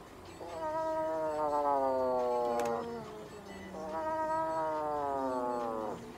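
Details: Russian Blue cat in a Nagoya veterinary clinic during treatment that includes light therapy, an injection, a tea tree oil spray and brushing. Two long, plaintive meows of about two seconds each, steady then sinking, sound in a quiet room.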